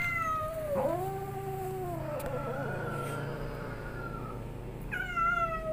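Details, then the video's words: Angry cat wailing: a dipping, wavering yowl followed by a long slurred moan, then a new high yowl starting near the end, over a low background hum. "Kucing ini emosi terlalu lama"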